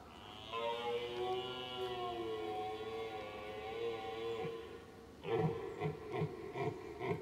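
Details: Rutting red deer stag, in a meadow at Weerterbos, September 2011, with another stag heard in the background: long groaning roar of about four seconds, then a series of short, pulsed grunts.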